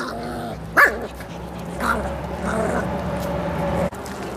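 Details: Miniature Pinscher puppies, eight and six weeks old, when given meat: two short rough yelping bursts with a strained, harmonic growling tone between them, over steady low background hum.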